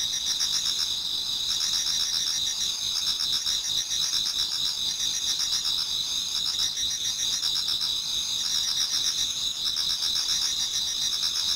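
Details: Autumn insect chorus in a Japanese garden near dawn, many singers producing shrill sustained trills at several high pitches, plus quieter rhythmic chirping bursts that swell and fade every few seconds.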